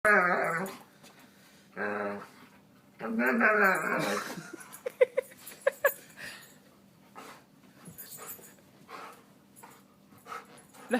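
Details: Dog making strange noises: two long, wavering, harmonic moans rising and falling in pitch, a third drawn-out warble, then a scatter of short clicks and soft snuffles.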